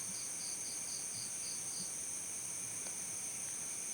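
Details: Cricket chirping: a run of about seven short, evenly spaced high pulses over the first two seconds, then a pause, all set against a steady high-pitched hiss and faint background noise.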